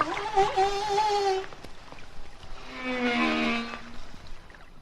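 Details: Song of a Hawaiian humpback whale in shallow water, with weak echoes from the deep: wavering mid-pitched harmonic moans at first, then a pause, then a lower, steady droning note layered with higher, brighter overtones.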